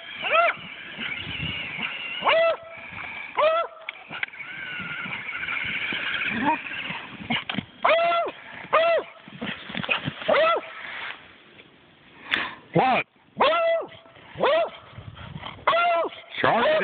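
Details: Barking Beagle outdoors in 4 inches of snow, reacting to a Traxxas Summit remote control car; a long run of repeated arched barks, quickening toward the end, with a whining motor sound in the first seconds.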